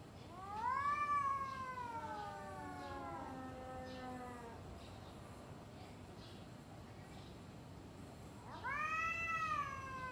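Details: Two domestic cats yowling at each other before fighting: a long wail rising then sagging over four seconds with a low growling undertone, a quiet gap, then a loud rising howl at the end.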